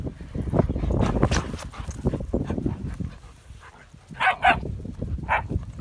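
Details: German Shepherd puppies at play: a stretch of scuffling and thumping movement noise, then a few short, high yips and whimpers in quick succession near the end.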